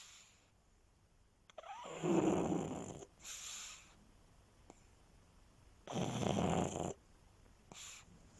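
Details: A sleeping, resting pug snores: two loud, low, rasping snores about four seconds apart, each followed by a shorter, softer, airy exhale, with quiet breathing between them.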